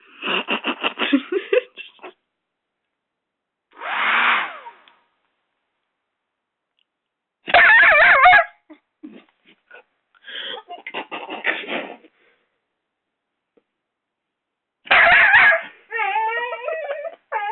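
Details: Six-month-old Doberman puppy Rocco attacking a hairdryer indoors: bursts of rapid rattling growls, several loud harsh barks spaced a few seconds apart, and high wavering whines near the end.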